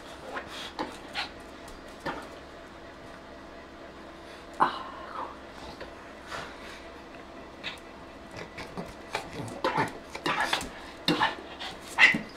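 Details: Zara, a pet Shih Tzu indoors, asks for her new toy octopus. She gives a brief whining whimper near the middle, plus scattered short squeaky sounds and snuffles. A person repeatedly urges her in French to ask.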